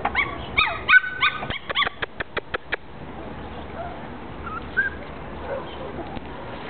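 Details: Angry one-month-old female Jack Russell Terrier puppy, Bucharest, Romania. A short burst of shrill yips and whines opens, followed by a run of sharp dry clicking taps, then near quiet with faint distant squeaks.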